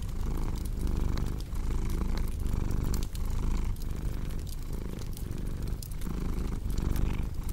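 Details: Steady low purr from a pet cat, rising and falling in regular breath cycles, while wood fire crackling and popping sounds over the top.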